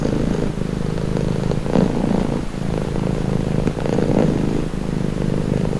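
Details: Low, steady purring from a domestic cat, a soft rumbling throb rising slightly in strength at intervals, with a faint background hum.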